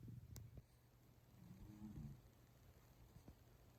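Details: Pusuke, a pet Toy Poodle, snores while sleeping deeply indoors. A low, rough rumbling breath rises around the middle of the recording over a steady room hum, with a brief click near the start.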